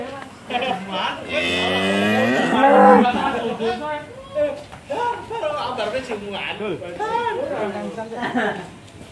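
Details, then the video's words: Large cattle, one of three being delivered near Tempel, Sleman, raging after a rope came loose and nearly escaping; one long, low, drawn-out moo swelling and rising in pitch over about two seconds, followed by excited human voices talking. "Sapi Monster Tali Lepas Ngamuk Hampir Kabur Keluar"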